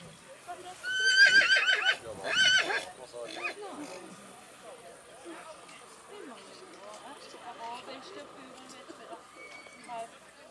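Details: Black Forest draught horse colt foal, born May 2021, shown at a draught horse foal show in St. Märgen, Germany, on 12 August 2021; two loud, quavering whinnies over the first three seconds, then crowd murmur and clopping hooves.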